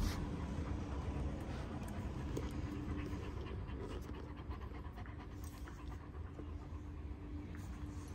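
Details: One-year-old Kangal puppies in Alanya, Antalya, Turkey, on 21 September 2024: quick, steady panting breaths, roughly three to four per second, over a constant low rumble and faint background noise.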